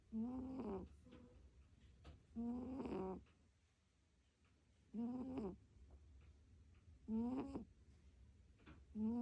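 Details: Domestic cat asleep and snoring, recorded without music: five loud, rasping snores in a steady slow rhythm about two seconds apart, each a harmonic buzz lasting under a second, with near silence between.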